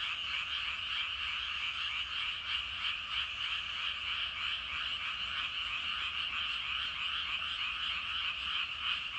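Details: Evening frog chorus from rice paddies where a great many frogs call at once: fast, pulsed croaks blending into an unbroken, buzzy trill, roughly three pulses each second, steady throughout.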